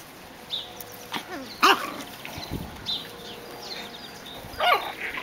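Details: Seven-week-old Biewer Yorkshire Terrier puppies in puppy school at their breeder's kennel, learning balance on a swing and a pond bridge. Several sharp, high yelps and squeaky barks break out at irregular intervals, with quieter whines between them.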